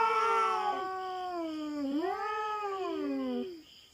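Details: Feral cat yowl during a territorial standoff with a black cat on a farm in the Philippines: a long, low, moaning wail that dips, rises again and fades, layered with a second voice. A faint high hum lingers behind.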